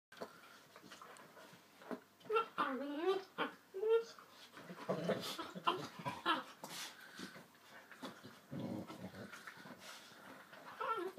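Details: Yellow labrador puppy, 9.5 weeks old, playing with a 3-year-old chocolate labrador: whiny rising-falling yips and squeals early on, then scuffling, low growls and rustling through the rest.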